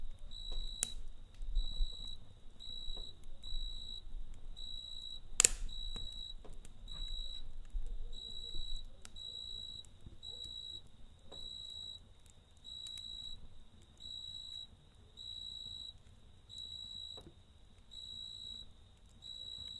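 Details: A cricket chirps at night beside a campfire. Its bright, thin chirps come in regular bursts about every second, over soft crackling from the fire and an occasional loud snap.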